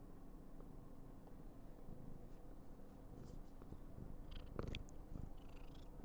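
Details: Clingy, affectionate female Somali cat at home giving a constant low purr that swells slightly toward the end, with a sharp click and light rustles over it.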